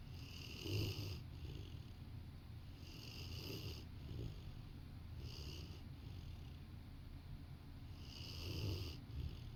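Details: A napping Rottweiler lies beside its owner on a sofa and snores steadily indoors. Each airy, rasping breath comes roughly every two and a half seconds, with a low rumble underneath and no other sounds.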